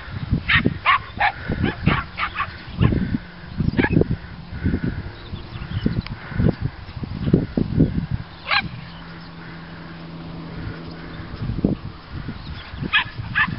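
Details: A pack of dogs walking in the fields, border collies, border terriers and Miniature Schnauzers, dated 8-06-08: scattered clusters of high, sharp yaps and barks with a quieter pause near the middle, mixed with low thuds and wind rumble.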